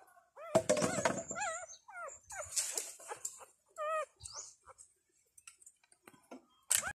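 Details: Five Thai dog puppies on their second day of life, kept with their mother, cry for milk with high, wavering squeals and quick whimpers that tumble irregularly, mixed with soft rustling and shuffling sounds.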